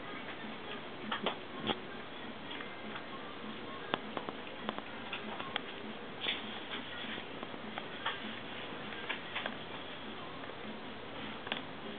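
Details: Soft music under a steady patter of light ticking and tapping in a small indoor room, with a faint voice now and then.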